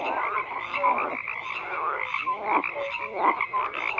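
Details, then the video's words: Croaking frogs in a crowded chorus: a repeated rattling croak about every second over continuous overlapping calls and brief high notes. "FROGS CROAKING"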